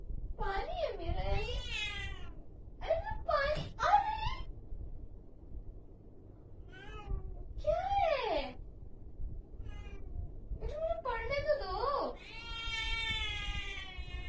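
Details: Angry cat uttering a series of about eight short, twisting growl-meows with bent, wobbling pitch, spaced irregularly over fourteen seconds and ending in a longer strained wail, with a low rumbling background throughout.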